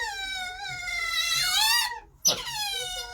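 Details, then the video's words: Otters in a wildlife conservation park, heard beside a binturong enclosure, give loud, high, drawn-out squealing whines with rich harmonics, rising and falling in pitch, described as whinging and shouting their heads off. "Sorry, the otters are shouting their heads off, as you can hear."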